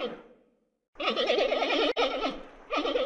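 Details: Panda bleating: a fading wavering tail, then after a pause a loud quavering bleat with fast regular trembles for about a second, and a second similar burst near the end.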